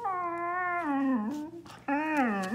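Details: Siberian Husky growing up, complaining to its Spanish-speaking owner: a long, drawn-out, wavering whine that slowly sinks, breaks off briefly, then returns as a second rising-and-falling moan.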